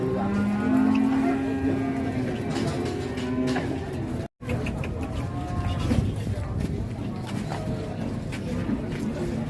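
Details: Giant Pegon cattle at a busy Indonesian cattle market: one long, low, steady moo lasting about three seconds, followed by crowd chatter, market bustle and background music.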